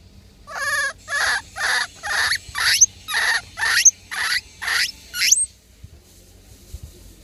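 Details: A baby vervet monkey gives a run of shrill, noisy squeals, about two each second, while being played with in Mozambique.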